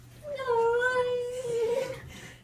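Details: Pet cat protesting a bath: one long, drawn-out mournful yowl that wavers slightly in pitch over about two seconds, with a person softly reassuring nearby in a small indoor room.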